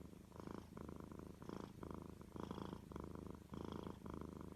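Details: Domestic cat purring steadily: a low, pulsing rumble that swells and fades in a regular rhythm with each breath, about two cycles per second, close up with no other sounds.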